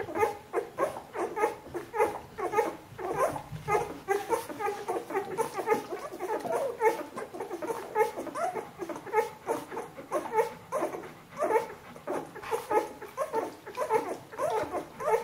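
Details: Bernese Mountain Dog puppies, 14 days old, from a litter indoors: a steady stream of short, squeaky whines and mewing yelps overlapping one another, several pups calling at once, about once per second.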